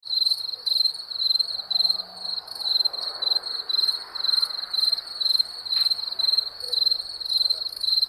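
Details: Wild crickets chirping in steady high-pitched trills, about two pulsed chirps each second, overlapping into a continuous shimmering rhythm over a faint soft background hiss.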